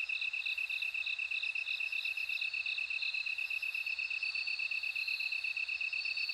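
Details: Shrill, evenly beating chirps from bell crickets run without pause, layered with a higher tinkling trill that rises in strength toward the end. A soft low background hum is present.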